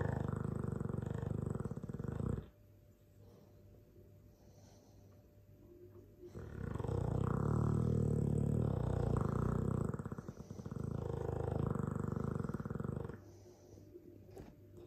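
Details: Sleeping Dogue de Bordeaux mastiff snoring loudly: long, deep, rumbling rasps, one lasting about two seconds, then a quiet pause, then a sustained heavy stretch of nearly seven seconds before it fades again.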